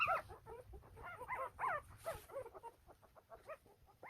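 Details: Day-old Golden Retriever pups, nine littermates born to a young mother in Naju, South Korea, squeal constantly: quick, high, wavering cries overlapping from several puppies, with soft handling noise beneath.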